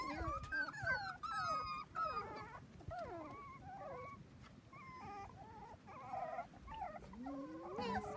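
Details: A litter of seven Dachshund pups aged four weeks playing on a trampoline alongside kids: piping whines and squeals, some falling, others rising slowly near the end, repeated at an uneven pace with background rustle.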